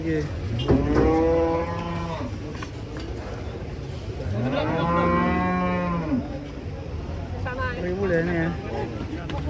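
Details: Giant cattle arriving in Indonesia, announced as very large; two long, deep harmonic moos, the first near one second and a stronger swelling one near five seconds, with steady background rumble and faint voices.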